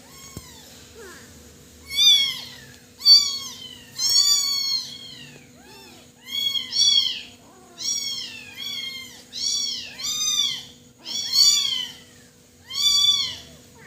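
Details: Young kitten crying insistently, with loud, high, bent meows repeated roughly once a second in a steady series, some doubled, in an otherwise quiet indoor space.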